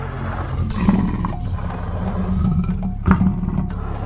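A tiger's deep, rumbling roar, swelling in two heavy bursts over a low growl.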